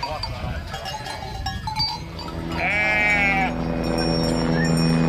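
A sheep gives one wavering, nasal bleat lasting about a second over soft background music.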